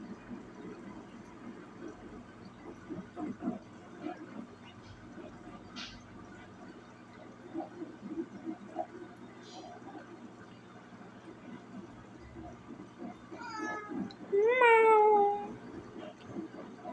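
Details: Kiko, a sleepy cat, yawning: near the end, one loud, drawn-out tonal cry with rich harmonics rises then slides down, after a long stretch of quiet room noise and faint voices.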